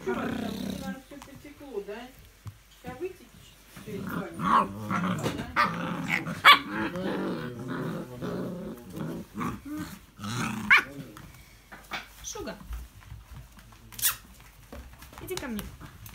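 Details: English Springer Spaniel, 05.02.17: rough growling grumbles rising into louder, brighter bark-like yelps around the middle, with sharp knocks and people talking alongside.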